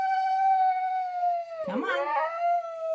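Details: Pet dog indoors gives a steady, tonal, whining howl that holds level, breaks briefly into a rough wavering burst near the middle, then settles back into the same drawn-out tone.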